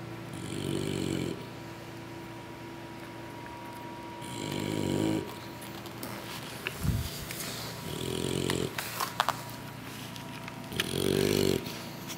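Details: English Bulldog puppies asleep after a big meal from their mother, snoring in low, rasping breaths that swell about every three to four seconds, four snores in all, with faint indoor background noise.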